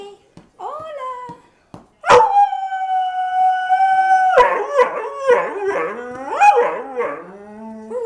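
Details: Male pet dog howling: after a few soft whines, a long steady high-pitched note held for about two seconds, then a run of wavering, yodel-like rising and falling howls.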